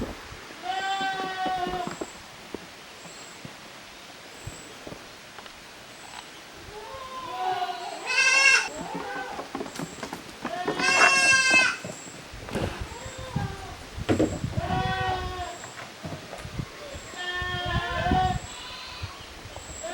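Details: Goat kids playing in two teams in a farm exercise yard, Japan, June 2023: frequent quavering bleats, several loud and shrill, overlapping at times, over faint rhythmic high chirping and thumps of movement.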